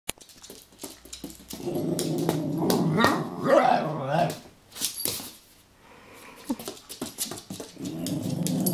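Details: An Italian Greyhound playing with a wind-up toy gives low rumbling growls and brief whiny yelps over the toy's clicking.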